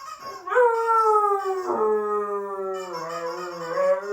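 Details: Charlie, a Siberian Husky, gives long, wavering howls that slide downward and rise again, howling in response to an annoying sound.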